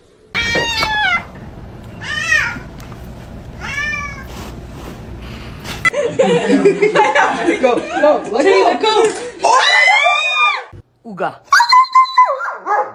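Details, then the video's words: Domestic cat meowing indoors: four drawn-out, arching meows with rich harmonics over several seconds, then people talking and exclaiming over a noisy background, with one more short meow near the end. "cats meowing"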